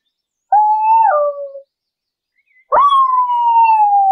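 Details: English beagle walking in a city park: a short howling bay that slides downward, a brief pause, then a sharp start into a long sustained howl that slowly falls in pitch.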